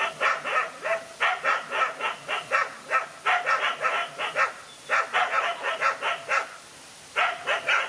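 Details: A fight between a single dog and two male dogs brings rapid, raspy barking in quick runs. Barks overlap, pause briefly near the end, then resume.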